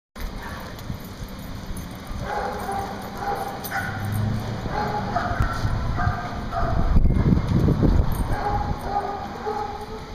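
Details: Big dogs playing outdoors, recorded 7.5.10; short harmonic yips and barks repeat in quick, uneven bursts over a steady background hum, with a louder low rumbling scuffle late in the clip.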